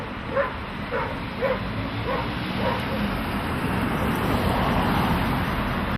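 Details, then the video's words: Dogs barking at passing cars: five sharp barks at roughly one-per-second spacing in the first three seconds, then a swelling rush of vehicle noise drowns the scene. "СОБАКИ ЛАЮТ НА МАШИНЫ"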